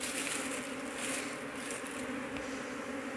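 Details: Apis cerana honey bees buzzing in a crowded colony during a search for the queen; low steady hum beneath brushing and rustling handling noises.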